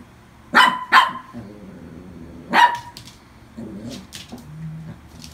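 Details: Adopted toy poodle barking indoors: two quick sharp yaps close together, then a third single bark a second and a half later, followed by faint clicks and low murmuring in a quiet room.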